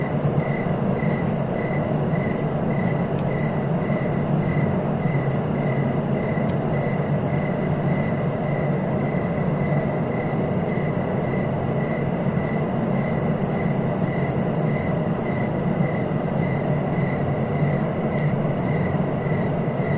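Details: Steady cricket chirping for sleep and relaxation: evenly spaced short pulses, about two to three each second, continue without a break over a thin sustained high tone and a heavy low background rumble.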